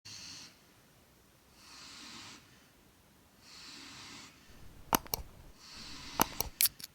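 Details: Four-month-old German Shepherd puppy snoring while asleep at home: soft, airy breaths repeated about every one and a half seconds, with a few sharp clicks near the end.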